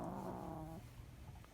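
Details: Sleeping chihuahua whose snoring has lately grown louder, sometimes making sleep-talk noises; a low, buzzy, voiced snore-like groan with rich harmonics lasting under a second, fading into quiet breathing.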